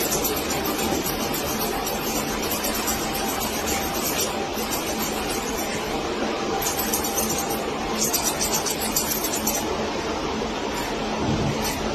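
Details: Dense, steady broadband noise fills the whole stretch, with clinking, glassy taps and a vehicle-like rumble underneath; no animal voice stands out.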